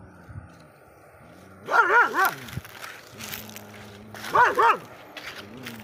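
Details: Dog barking at other dogs, giving two clusters of rapid, wavering barks about two and a half seconds apart, with background noise and faint voices between them.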